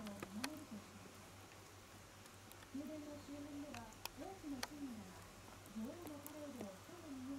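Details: Shiba Inu puppy 屈, newly able to stand and walk as its eyes and hearing develop, utters clear, looping whines in short groups separated by brief pauses, with a few sharp taps in the background.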